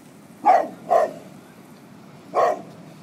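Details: Buddy, a Golden Retriever, barks at prams: two quick barks half a second apart, a pause, then a third bark, each short and punchy over quiet background noise.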